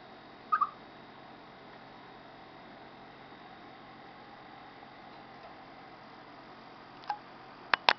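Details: Before rain, a chipmunk utters one short double chirp at the start. Then comes a long quiet stretch of hiss, ending in several sharp clicks or knocks near the close.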